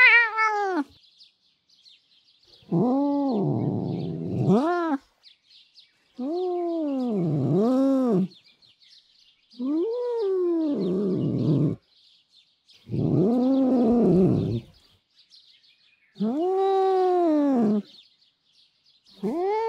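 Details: Bastardo, a very mean, nasty tom cat from a cat vocal sound library, gives long drawn-out yowling meows, each lasting about two seconds with arched, wavering pitch, separated by short silences; six calls in sequence, with faint high ticking in the background.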